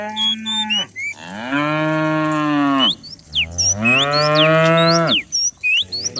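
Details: Morning herd of dozens of cows coming down the hills: two long loud moos of about one and a half seconds each, rich and slightly rising, with sharp high bird chirps scattered around them.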